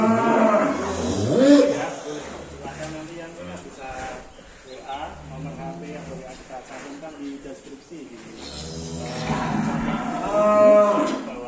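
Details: Extreme-class Indonesian cattle being led out of the pen moo repeatedly: long, low, harmonically rich bellows, some rising at the end, over music and scattered voices.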